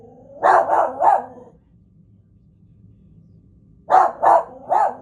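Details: A dog called BMO barks in two bursts of three rapid barks each, separated by a quiet gap of about two and a half seconds.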